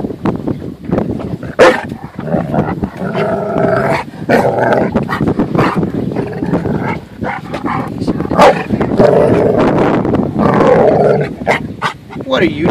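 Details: On a boat, the dog Harley is mad at being made to come in from the water and go home. Grumbling growls and short bark-like bursts repeat through the tantrum while people talk and wind buffets.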